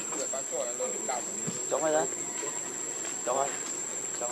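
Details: Baby monkey named Leo, also called Rainbow, crying while hungry and begging its mother for milk; short wavering harmonic cries come in quick bursts, several close together, over a steady high-pitched insect drone.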